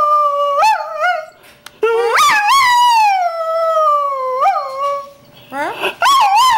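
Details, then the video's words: Greyhound singing in short howls that jump up and drop, then a long falling howl with small rising hitches, ending in quick yips and a final rising howl. "greyound singing"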